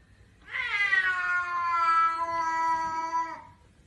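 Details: Pet cat giving one long, drawn-out meow of about three seconds, rich in overtones, that holds a steady pitch and then drops off, in a quiet room.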